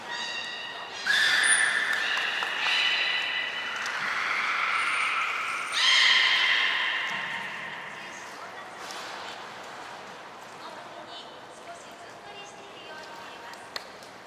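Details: Captive belugas Hodoi, Taanya and Mirai at Port of Nagoya Public Aquarium, moved between pools and trained on February 23, 2021; a run of loud, nasal harmonic tones shifting up and down in pitch, with brief high whistle blips, fading into quieter hall noise.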